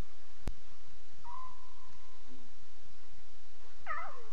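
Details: Lion cubs calling at 2:40 a.m., heard as a faint, thin, level mewing tone, then a short wavering call that slides downward near the end, over a steady background hiss.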